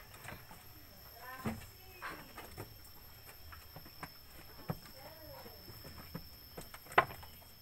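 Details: Billy goat (bandot) raised for Qurban sacrifice, giving a few short wavering bleats, rising then falling, spaced through the recording, with quiet human voices and occasional knocks in the background.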